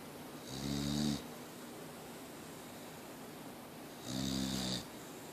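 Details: Mia the Boxer dog still snoring: two loud, rasping snores about three seconds apart, deep and buzzy with a breathy hiss, separated by a quiet pause.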